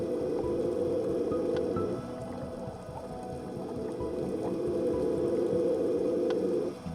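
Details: A male Hawaiian monk seal floating in midwater by a volcanic-rock drop-off gives long, low, buzzing moans underwater, heard from a distance at first, with music playing over them.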